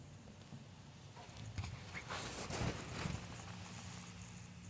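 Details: Porcupine named Chestnut, one of a group of porcupines, making weird noises that differ from the others; a few low, short grunting sounds cluster near the middle, with soft rustling and a person talking before and after.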